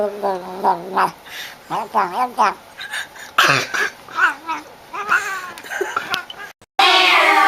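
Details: A talking cat makes short, bending meows one after another, followed near the end by a sudden burst of loud noise.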